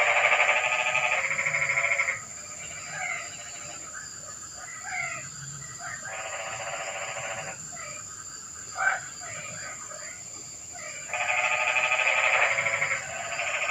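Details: At night in the rain, frogs give bursts of harsh pulsed croaking lasting one to two seconds, with quieter scattered chirps and one sharp click between bursts, and a faint steady high hum behind.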